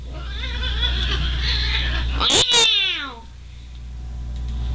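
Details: Unhappy domestic cat yowling indoors at a disliked house; a strained, drawn-out meow ending in a falling wail, two sharp clicks midway, then quiet hum, with background music.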